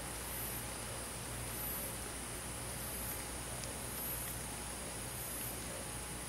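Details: Crickets and other insects on a summer night in a countryside forest: high, shimmering buzzy bursts about every 1.2 seconds over a steady broadband hiss and a low hum.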